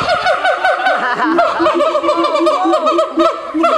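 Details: Siamangs calling at Honolulu Zoo in 2012: dense runs of quick, ringing whoops stacked over short, deep booming pulses that repeat steadily throughout, loud and continuous, with no clear human voices.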